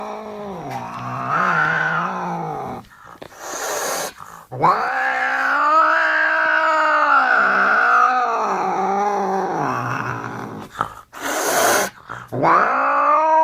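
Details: Angry cat growling and yowling in long, wavering moans that rise and fall, broken by brief loud noise bursts near four and twelve seconds, with short pauses between drawn-out howls.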